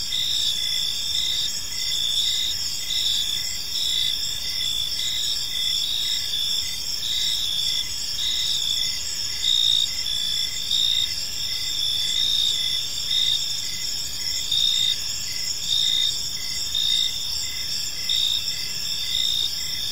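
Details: Several crickets chirp together in a park as evening falls, shrill sustained trilling overlaid by pulsed chirps roughly every two to three seconds, irregular and overlapping, with faint distant rumble.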